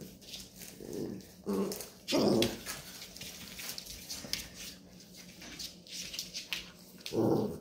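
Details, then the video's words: Labrador Retriever mother teaching her puppies that there is no milk: three short, gruff vocal bursts close together early on, a quiet stretch, then another rough burst at the end, indoors. "Hundemutter bringt den Welpen bei das es keine Milch gibt."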